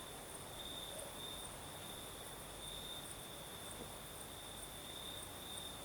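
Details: Chirring crickets on a southern Crimean night, a continuous high-pitched note with rhythmic higher pulses repeating about every half second, under a gentle hiss of night breeze.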